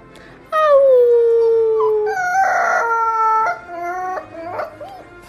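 Husky puppies howling in long, wavering tones that slide downward and overlap.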